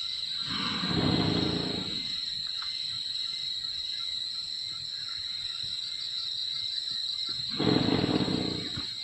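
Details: Two loud rasping snores from a sleeping wild Sumatran elephant, one at the start and one near the end, each about a second and a half, with droning insects filling the pause between.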